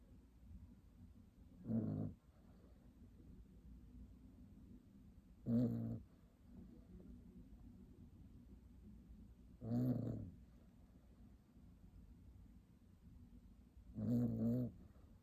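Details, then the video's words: Tiny puppy asleep and snoring: four low, rasping, harmonic snores, each lasting about half a second, spaced roughly four seconds apart, with quiet breathing hiss between them in a still room. "Tiny puppy snoring"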